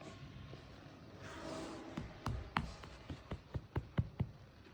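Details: No animal voice is heard, only a soft rushing sound followed by a run of sharp taps or knocks, about two per second, over low indoor rumble.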